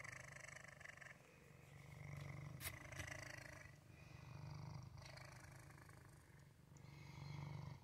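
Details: Continuous deep purring from Waffle, a male cat, pulsing rapidly and rising and falling in loudness with each breath. A couple of short sharp clicks cut in near the middle.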